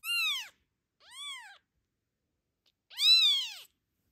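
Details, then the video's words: Protective mother cat guarding her 6-day-old kitten from the camera, giving three loud arched meows, each rising then falling, with silence between. "Protective mama cat hides her 6-day-old kitten from the camera"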